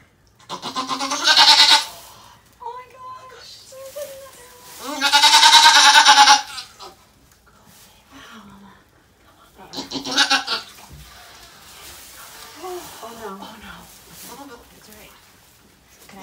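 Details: Goat at Goats of Anarchy sanctuary, where rescued doe Mama Maybel gave birth to four kids indoors. Three loud, wavering, harmonic bleats of one to one and a half seconds each ring out near the start, middle and end, with people talking softly between them.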